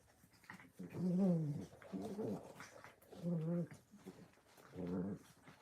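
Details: Four low, rough growling bouts from puppies playing, each about half a second long and spaced roughly a second apart, over a soft background hiss.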